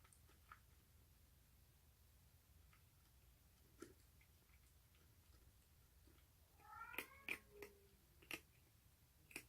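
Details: Rescued baby stray cat, an orange cheese tabby kitten, recorded 1 March 2019 making odd sounds while eating hungrily indoors: quiet chewing clicks, then near the end a short tonal, falling meow-like cry with layered overtones, followed by sharp crunching clicks.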